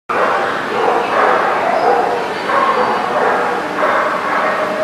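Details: Dogs barking, recorded on 14 September 2018: dense, overlapping barks and yips run continuously with no clear gaps, forming a steady chorus of several dogs over a constant noisy background.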